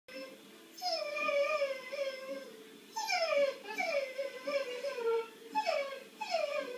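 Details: Gimmy, a Cocker Spaniel, barks in drawn-out, yelping cries that slide downward in pitch. About six come in two clusters, with a quiet gap between them and no other clear sounds.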